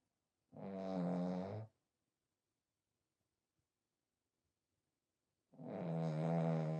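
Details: A sleeping French Bulldog named Smile, a pied female kept as a pet, snores loudly: two long rattling, harmonic-rich breaths about five seconds apart, with near silence between them.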